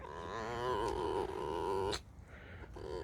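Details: Freshly woken pet fox complains with a drawn-out squeak: a quavering, rapidly trembling whine held for nearly two seconds, cut off by a knock, followed by quiet and a faint soft squeak.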